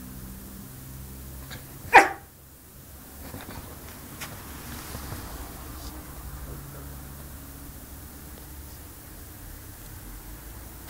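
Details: Benny, a Yorkshire Terrier puppy in Samsun, Turkey, lets out one sharp, bright bark near the two-second mark, followed by a quiet indoor room with faint rustling and low hum.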